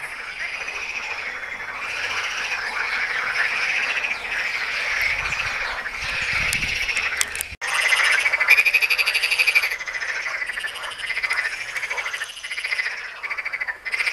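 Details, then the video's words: At Tyre Necropolis in Lebanon, numerous frogs keep up a continuous grating, pulsed croaking chorus; a sharp click breaks in midway before the massed calling resumes at full strength. "FROGS, TYRE NECROPOLIS, LEBANON"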